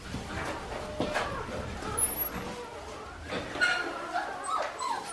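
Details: Five-week-old Australian Shepherd puppies from a litter, making high, thin whimpers and short yips that rise and fall in pitch, scattered through the clip over low background rustling and faint voices.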